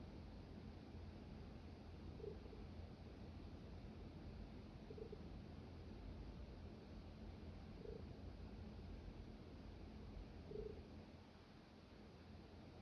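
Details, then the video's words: Jasper, a little pet kitty, purring steadily as a soft, continuous low rumble close to the microphone, with faint brief tonal blips recurring every few seconds in a quiet indoor background. "Jasper purring"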